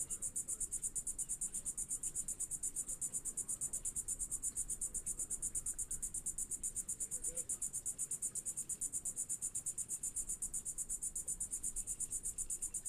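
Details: Insects, possibly crickets or grasshoppers, at a Kennedy Space Center launch site in Florida just before a midday rocket liftoff; a dense, high, steady pulsing trill repeats rapidly and evenly over low background rumble.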